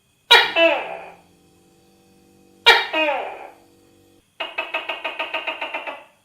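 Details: Tokay gecko: two loud, grating double-note barks followed by a quick pulsing rattle of about a dozen clicks, with a faint low steady hum lingering between the calls.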